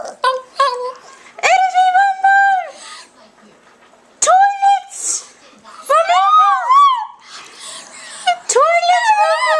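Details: A dog sings along with a person singing, in drawn-out, wavering howls that bend up and down in pitch.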